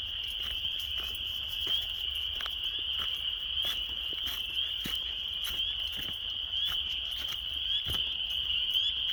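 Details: Frogs returning to local ponds in March, hundreds calling while mating for the season: an unbroken shrill chorus of overlapping high trills, some brief rising notes standing out, with sharp ticks or taps sounding now and then.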